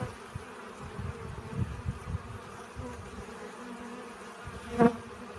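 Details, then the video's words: Bees collecting pollen: a soft, low background hum, then near the end one bee passes close with a brief, loud, clearly pitched buzz that rises and fades within half a second. "Relaxing Bee Sounds. Сбор пыльцы."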